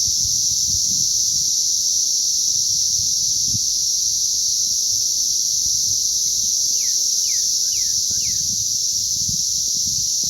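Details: Emerging cicadas on May 20th 2034 fill the air with a steady, intense high buzzing hiss that never pauses; four short descending slurs appear late on, over faint low-frequency rumble.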